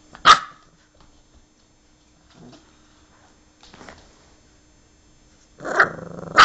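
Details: An English Bulldog playing with another gives a sharp single bark, then a rough, drawn-out bark-growl after a quiet pause.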